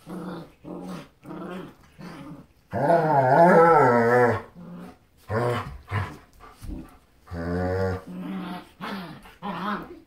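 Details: German Shepherd parents Grunt and Roux playing with their puppy daughter and teaching her to play; deep, rumbling, harmonic growls and grumbles come in short bursts, with one long, wavering growl in the middle, indoors.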